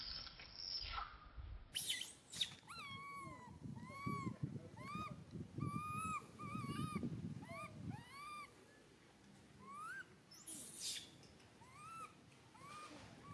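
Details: Baby monkey Santos crying for its mother Sarah: a steady run of high, arched, whistled cries, each rising then falling, repeated roughly once a second, with rustling and low thumps beneath.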